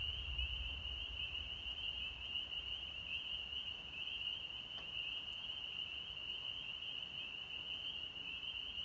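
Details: A dense chorus of spring peepers (Pseudacris crucifer) in North Georgia on March 24, 2020, blending into a steady, high, shrill ringing.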